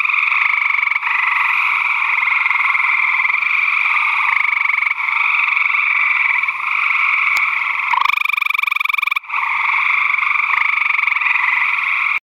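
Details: A gray treefrog (Hyla versicolor), hidden in vegetation, gives steady, musical trills that ring on without a break.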